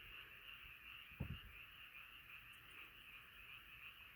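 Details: Nighttime frog chorus of many callers, a steady high buzzing wash of croaks, with a brief low thump partway through.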